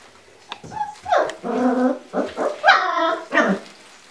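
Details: Giant Schnauzer giving a run of gruff, partly tonal barks and yelping calls, five or six in quick succession, some drawn out with a whining edge.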